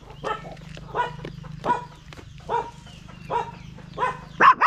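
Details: Stray dog giving a run of short, nasal barks or yelps, roughly one every three quarters of a second, ending in a louder sharper cry, over a constant low mechanical hum.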